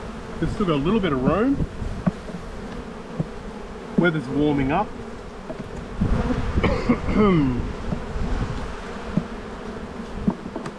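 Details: Honey bees buzzing during a spring hive inspection in an Australian bee yard, 7-9-22, with brood-filled boxes; individual bees drone past close by with swooping, rising and falling whines over a steady colony hum.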